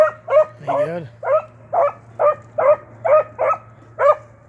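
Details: Blackcreek-bred beagles, an 8-month-old pup and a trained male named Timber, tracking cottontail and swamp rabbits; steady run of short, ringing barks about every half second, with one longer wavering howl near the start.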